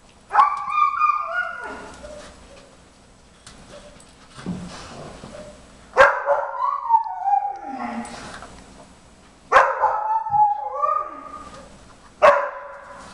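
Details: Whining yelps from Jimmer, a 4.5-month-old Briard, who wants to help while Queen, a 5-year-old German Shepherd, does her first nosework search for treats under tennis balls. The sharp, harmonic cries come in four bursts, each fading into a softer whine.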